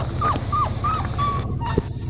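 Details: Five-week-old blue merle male Australian Shepherd puppy at a farm in Talala, Oklahoma, on 31 August 2021, called a cry baby: a run of four thin, steady whimpers, each slightly falling at the end, over a constant low hum.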